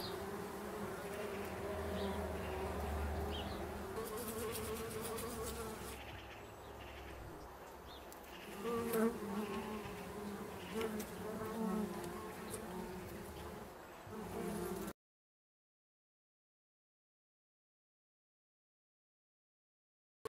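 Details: Bumblebees that have moved into a bee hotel meant to shelter them in winter, turning it into a hive: steady droning buzz with overlapping wingbeat tones, swelling and fading as bees come and go, for about fifteen seconds before silence.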